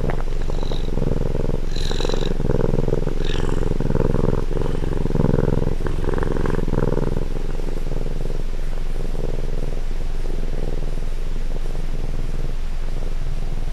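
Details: Close-range recording of a pet cat's purr, a rough low rumble alternating between breaths in even cycles, strong for the first nine seconds and then softening into a quieter hum.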